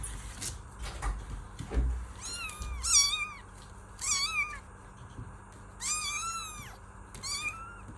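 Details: Kitten meowing in a series of high, harmonic-rich mews, roughly five calls in eight seconds, some arched and some wavering, with faint knocks and rustling below and a steady background hum.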